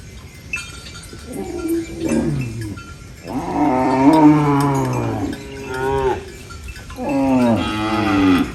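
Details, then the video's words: Farm cows feeding on banana leaves give a series of moos, a faint short one first, then a long wavering moo and two more bending calls, rich in harmonics, with light clinks behind. "Funny cow eating banana leaves Mooing Sounds"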